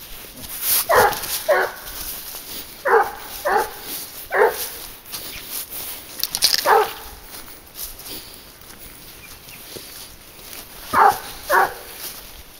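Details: Garuo, a 22-month-old hunting dog working on a leash while tracking wild boar, barks in short paired bursts: about ten sharp barks spread over twelve seconds with quiet gaps, over a faint steady high hiss.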